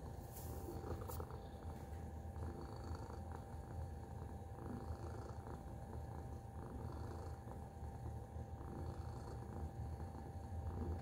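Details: Continuous low purring from Tacy the cat, a dense rumbling throb held without break, a few light taps and rustles near the start.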